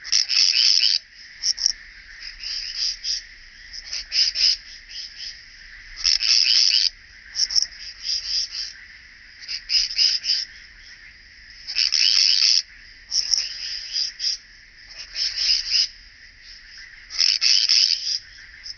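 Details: Striated bush-cricket (Pachytrachis striolatus) recorded at Vela Ucka, Croatia, on 25 July 2023: high, dry, scratchy buzzing bursts about a second long, repeated at irregular intervals, over a steady fainter lower hiss.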